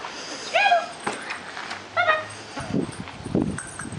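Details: Scrabble, a 57-day-old sport dog puppy (5/8 Belgian Malinois, 1/4 Border Terrier, 1/8 Border Collie), during retrieve and tug play with a jingle ball and braided fleece tug. Gives two short, high, whining yips about 1.5 seconds apart, with soft human voice and thuds around them.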